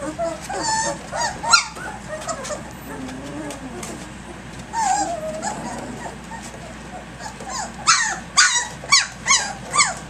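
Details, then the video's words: Active three-week-old puppies, Egypt's litter, romping at 6 a.m.: a string of high, wavering whines and yelps, ending in a rapid burst of four or five squeaky yips about twice a second, with soft background speech. "Egypt's ACTIVE Puppies 3 weeks 3 days"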